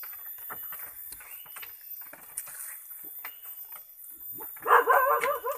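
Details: Long-eared goat kept as village livestock at Tasik Malaya, with a loud wavering bleat near the end after a stretch of clicks, rustling and background noise.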